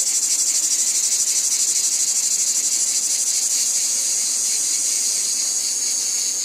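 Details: Loud, high-pitched buzzing from cicadas in a wheat field, throbbing in rapid regular pulses that smooth out and ease a little toward the end. No other clear sounds.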